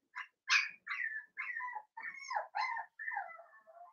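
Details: Playful yips from young blenheim Cavalier King Charles Spaniel puppies romping with their mother in a home puppy pen: seven high, slurred whining barks in quick succession, each bending downward in pitch, quietly recorded.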